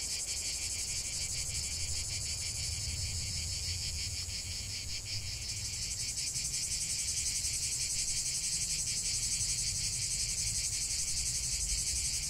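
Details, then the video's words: Chorus of cicadas singing in nature, a dense continuous high buzzing with a fine pulsing texture, steady in loudness, with a low background rumble underneath. "45 min de chant des cigales"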